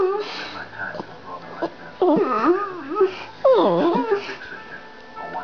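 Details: Talkative dog Cobbler chatting with Zak in a small room: warbling, wavering howl-talk with notes swooping up and down in two bursts, quieter murmurs between them.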